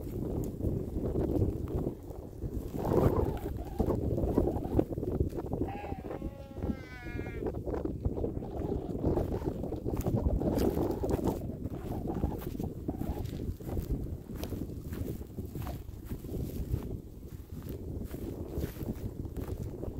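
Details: Sheep grazing alongside cows on a meadow by a lake. A single wavering, tremulous bleat with a shaking, vibrato quality rises out of a steady low rustling and trampling background, roughly a third of the way in.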